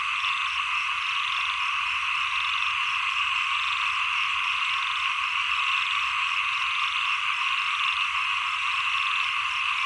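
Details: Chorus of frogs as the rains end and the cold season begins: overlapping buzzy, rattling croaks from numerous animals blend into a constant wall of sound with gentle rhythmic swelling.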